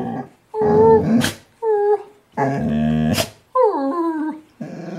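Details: Pet dog "talking" back to its owner's brother in a series of short vocal bursts: whiny, wavering growls alternating with rough low rumbles, some sliding downward in pitch, separated by brief pauses and sharp breaths.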